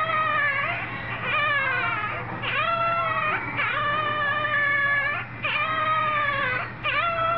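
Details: Young dog giving continuous howls and whines in rising and falling harmonic notes, repeated almost every second, steady against a low background hum.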